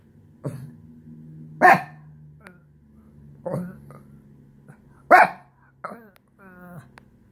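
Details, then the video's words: Shih Tzu vocally showing frustration at losing its couch place: scattered barks over a steady low droning hum, closing with a brief, rising, nasal whine. "Shih tzu throws tantrum...."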